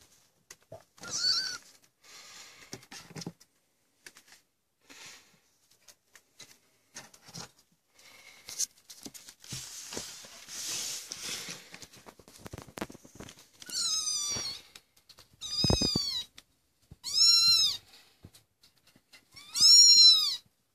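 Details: Maine Coon kittens, 25 days old, indoors at a cattery and wanting to get out of the nest; early rustling and soft scuffling give way to several high, arched mews in the second half, rising then falling, spaced a second or two apart.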